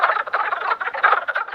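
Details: A dense mating chorus of male wood frogs (Lithobates sylvaticus) at Twin Creeks, Great Smoky Mountains, in January after emerging from winter. They give rapid clucking croaks likened to ducks or turkeys, calling to attract females.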